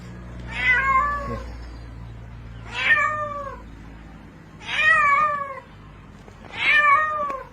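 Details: Cat in water, calling for help while drowning before being pulled out by rope; four drawn-out, wavering meows about two seconds apart, each slightly falling, over a low steady hum.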